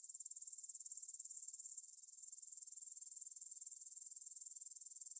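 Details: High, rapidly pulsed chirring from grasshoppers in a meadow by the Svensky monastery, Bryansk, Russia, on the evening of 6 September 2020 at 9pm, stereo Tascam DR-44WL recording. The even pulses grow gradually louder across the stretch.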